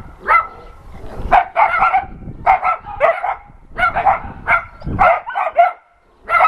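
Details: Barking from dogs at an adoption center greeting an NRK TV crew, heard as clusters of two or three sharp barks repeated roughly every second with short quiet breaks.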